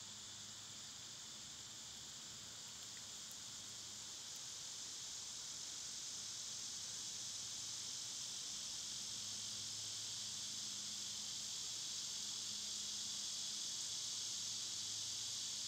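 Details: Cicadas loud in summer, part of a wider insect chorus; a dense, sizzling high drone holds steady and swells slightly louder toward the end, with one brief faint tick early on.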